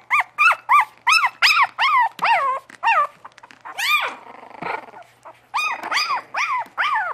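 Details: Yelping Bugg puppies produce loud, rapidly repeated rising-and-falling whimpers, about two or three per second. There is a brief breathy, noisy pause in the middle, then the clear tonal yelps resume to the end.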